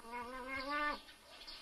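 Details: Nutria during mating, giving a single moaning, harmonic call about one second long, held fairly level in pitch then dropping away abruptly, followed by quiet.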